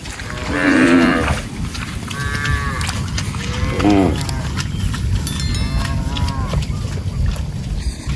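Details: Cattle roaming and grazing in a rice field in a group; a loud moo near the start, a second shorter moo near four seconds, with steady low rumbling background noise throughout.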